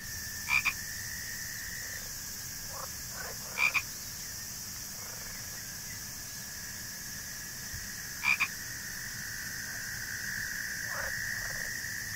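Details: A swamp soundscape for a theatre production, with frog sounds mixed into swamp ambience: brief, sharp double croaks at irregular intervals over a continuous high insect hum and a steady mid-pitched whine.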